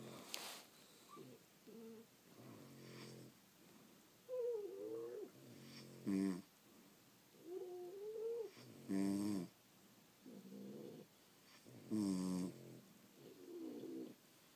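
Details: Snoring French Bulldogs asleep at home: rhythmic nasal snores about every three seconds, alternating rasping inhales with whistly, wavering exhales, in a quiet room.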